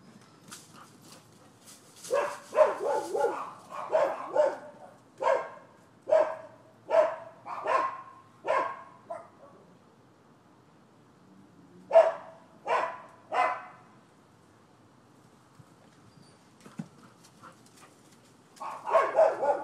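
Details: Dogs next door at a managed Florida property, recorded 7 December 2015 as nuisance barking: a run of about ten rapid barks, a few seconds of quiet, three more barks, then another burst near the end.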